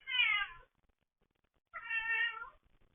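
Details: Indoor domestic cats giving two clear meows about a second and a half apart, the first bright and falling, the second longer and steadier, in a quiet room.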